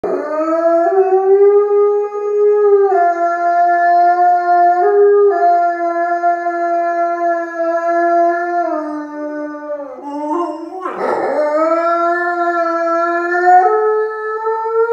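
A wolf gives a long, steady howl that holds its pitch, then dips and rises again.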